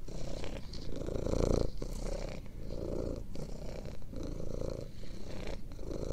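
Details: House cat purr, described as having healing virtues; deep continuous rumble with breathing cycles swelling and fading about every second, a brief louder stretch near the start, otherwise quiet surroundings.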